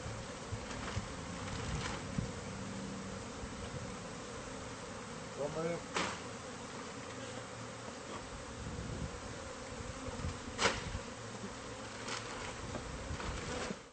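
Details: Bees from a hive concealed in a home's walls during pest-control removal: continuous dense buzzing hum of a crowd of insects, interrupted by sharp knocks and scraping clicks and a short voice.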